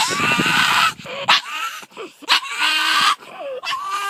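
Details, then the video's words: Pug barking at two terriers that came down the driveway; loud, harsh, strained yelping bursts with rising-then-falling whines, about four outbursts separated by short gaps. "Pug making weird noises"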